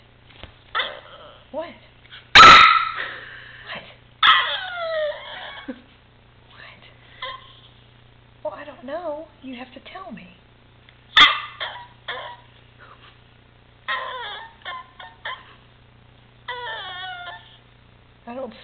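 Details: Maltipoo indoors vocalizing at its owners as if trying to tell them something: a run of short, yippy, wavering whines and squeaky yowls with a couple of sharp bursts, while a person answers asking what it wants.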